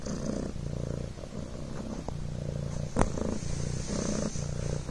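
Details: Low, continuous buzzing purr from Coco, a Devon Rex kitten, on a blanket, pulsing gently with breathing; a brief sharp click or rustle breaks in near the middle.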